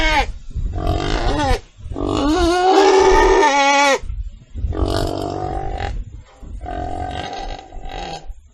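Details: Domestic pig mixing short grunting squeals with one long, loud, bending scream in the middle, followed by two flatter, nasal cries.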